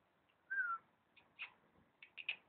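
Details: Dog trying to say something, producing a drawn-out whining tone followed by a few short, higher yelping syllables in quick succession, quiet room background.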